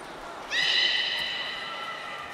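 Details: Captive beluga at Port of Nagoya Public Aquarium, 18 February 2024, filmed during fish feeding and the play time afterward: a single long, steady squeal with bright stacked overtones, held nearly two seconds and slowly fading over a soft hiss.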